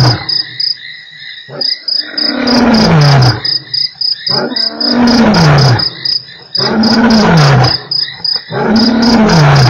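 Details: At Nkorho on 3 March, a lion roars in a series of deep, loud grunts, each falling in pitch, about every two seconds; it gave 8 roars in exactly 60 minutes.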